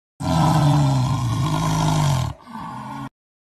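A tiger gives one deep, drawn-out roar that falls away into a brief, quieter rumbling growl.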